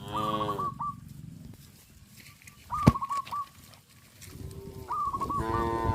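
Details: Herd of tame cows on a traditional village farm, moving in order toward grazing fields: brief low lowing at the start and a fuller moo at the end, with quieter stretches and a sharp knock midway, plus clipped higher repeated notes.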